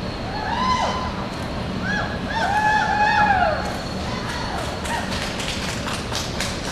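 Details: Welsh Cob Section D stallion Nebo Calonog, called Tomas, at the 2006 American Welsh Pony & Cob Show in Tulsa, Oklahoma, giving several tonal whinnies that arch up and fall away, amid crowd noise and thumping hoofbeats.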